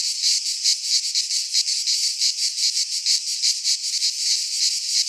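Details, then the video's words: Cicadas in midsummer in a pine forest of Greece produce a piercing buzzy chorus, throbbing in rapid, slightly uneven pulses about three per second, continuous from start to finish. "Cicadas singing in midsummer - Nature sounds from the Greek fauna - Sounds of cicadas"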